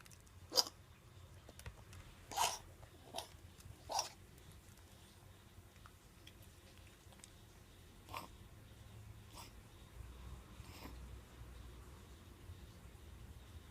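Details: Ganmo, a baby pug puppy with kennel cough caught at a pet shop, born with a narrow trachea and elongated soft palate, indoors at home: sharp, dry hacking bursts, three strong ones in the first four seconds, then weaker scattered coughs.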